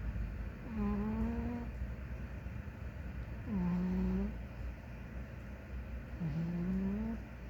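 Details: Big ginger house cat asleep and snoring: three clear, slightly rising whistled snores roughly every two to three seconds, each lasting under a second, against a constant low background rumble.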